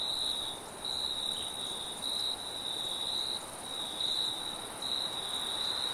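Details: Forest crickets at night trilling in pulsed high bursts that start and stop roughly every second, with a steady higher hiss and light wind in the background.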